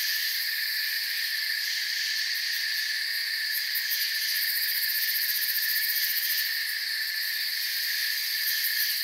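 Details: Many crickets trill together in a constant high shimmering chorus, stacked droning tones at fixed pitches, with bursts of rapid high pulsing around three to four and six to seven seconds.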